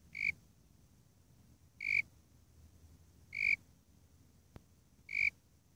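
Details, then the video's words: Four crisp high chirps from a calling Warrilla imposter cricket (Eurygryllodes warrilla), each brief and tonal, coming every one and a half seconds against a quiet low background with one sharp click. "Warilla Imposter (Eurygryllodes warrilla) (?) Calling 2"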